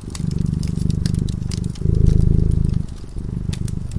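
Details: A domestic cat drifting into sleep in front of a fireplace purrs, a low, steady rumble swelling and easing with each breath, over a crackling fire.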